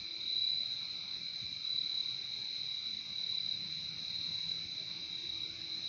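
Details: Insect night-style chorus of crickets from a nature recording: a constant high, shimmering trill with a fainter lower trill layered under it, steady from start to finish with no other clear sounds.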